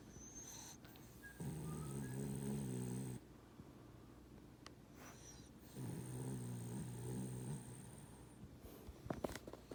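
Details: A sleeping Boston Terrier snoring: two long, low, rumbling snores, each about two seconds, with a quieter stretch of breathing between them and a faint high whine in the background.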